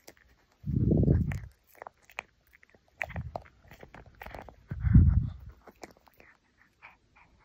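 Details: A tiny toy poodle puppy, teething and chewing hard, gnaws with low thumping bites in three heavier bursts, scattered between them with small clicking, crunching sounds.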